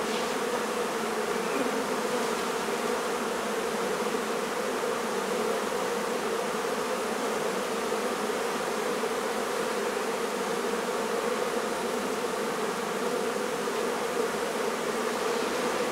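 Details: A honey bee colony, hive being taken out of a barn in La Feria, Texas, for relocation. A sustained, uniform buzz of many bees drones on without a break for the whole stretch.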